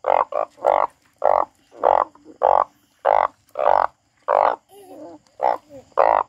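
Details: Loud, harsh frog croaks repeated roughly every half second, about eleven broad nasal notes in six seconds, with a brief pause and faint chirping sounds near the end.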